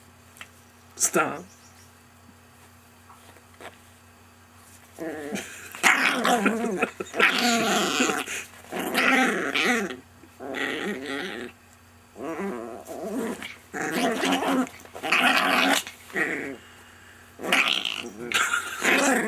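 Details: Pet Chihuahua being friendly, making bursts of harmonic, grumbling and whining vocal sounds in irregular runs after a quiet start, with a person speaking nearby.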